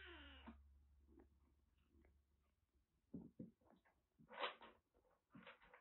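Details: Rescued kitten, found soaked in record heavy rain in western Japan with a severe cat cold blocking both eyes and nose, now cared for at a Kagoshima kitten nursery; one short harmonic meow opens, then soft rustling and scratchy kneading noises indoors.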